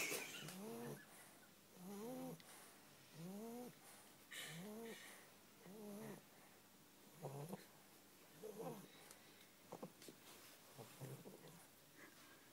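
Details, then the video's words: A sleeping bulldog snores in a steady rhythm, each breath a whistling, rising-then-falling wheeze repeated about every 1.2 seconds, fading into softer, irregular snuffles near the end. "Snoring bulldog"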